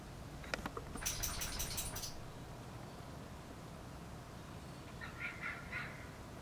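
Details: Fox. Fox kits bark in a quick, rough cluster of hoarse, yappy notes that crowd together for about a second. After a quiet pause, a softer run of short barks follows over a low background hum.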